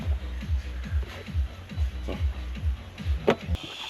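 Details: A steady, low, thumping music beat plays, with a few clicks and no animal voices. No calls or songs stand out above the rhythm.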